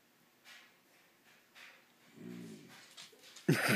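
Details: Psyche and Harvey, two dogs, trade odd noises during play: a soft harmonic groan-like grumble lasting half a second, then a sudden loud, harsh bark-like burst at the end, over faint background sounds.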